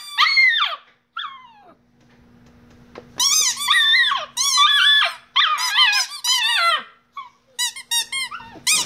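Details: Shiba Inu dog singing indoors: high, wavering yodel-like howls and squeals in bursts, pitch bending up and down, with short pauses and a faint steady hum in the background.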